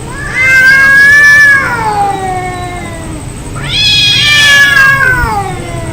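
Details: Two loud angry yowls from fighting cats, each rising then sliding downward into a falling wail, separated by a brief quieter pause.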